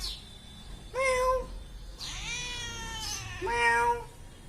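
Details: Domestic cat meowing three times in about four seconds: a short clear meow, a longer flat drawn-out meow, then another short rising meow, all tonal with strong overtones over quiet background hiss.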